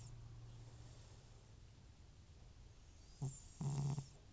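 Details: Asleep and congested, old FIV-positive cat Butcher breathes quietly, then gives a brief snort followed by a half-second gravelly low snore.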